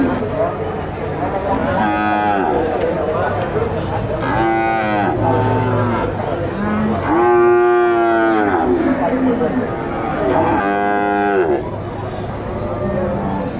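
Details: Several bulls at El Tiangue livestock market, Nueva Guadalupe, El Salvador, lowing in turn: four or five strong, harmonic moos spaced a few seconds apart, each swelling then falling, with market bustle underneath.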